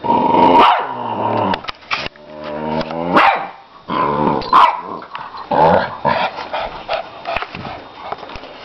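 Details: A nine-year-old Lhasa Apso and a one-year-old puppy roughhousing. Drawn-out falling howl-like cries near the start and middle are mixed with choppy growling barks and scuffling noises throughout.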